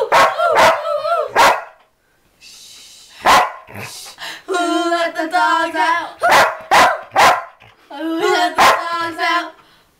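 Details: Sheepdog howling to "Who Let the Dogs Out" at 2 in the morning, very loud: short sharp bursts alternate with long, sustained, slightly quavering howls held for a second or more, the song audible underneath.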